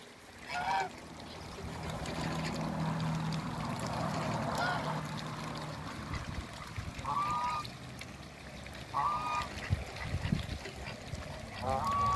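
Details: Pair of mallard ducks on a waterbird farm in Skydra, Greece: short, clipped nasal calls come at intervals of about two seconds near the end, after a stretch of low-level background noise.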